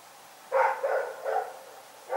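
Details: Rex, a dog, barks during the night at Pyrga: a burst of three rough barks in about one second, then quiet, with another bark starting at the end.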